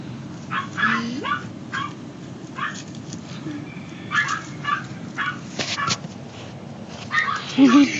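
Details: AKC toy Maltese puppies, a male and female brother and sister: a brief rising whine early on, scattered short yips and soft clatter throughout, then a wavering high whimper near the end over steady background hiss.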